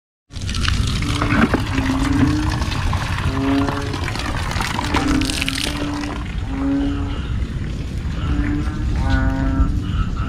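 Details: Banded bullfrogs calling in the evening, loud enough to keep people awake: a chorus of low, droning nasal notes repeating every second or so, over a steady low rumble and hiss of background noise.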